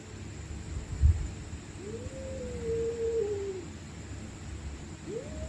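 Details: Stray cats fighting at night: one long, wavering, drawn-out yowl that sags then rises, followed by the start of another rising yowl, over a low background rumble and a single thump.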